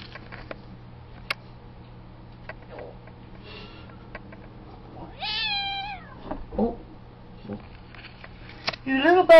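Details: Domestic cat named Tiger, angry because another cat, KcKillercat, wants up on the outside window ledge too; one long, wavering, falling meow midway, then rising yowling calls at the end, over a low steady hum and faint clicks.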